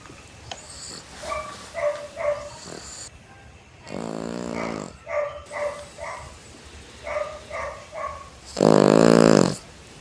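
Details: Sleeping pet dog snoring loudly, with soft squeaky nasal puffs repeated in small clusters, one long grating snore around four seconds and a louder, rougher snore near the end.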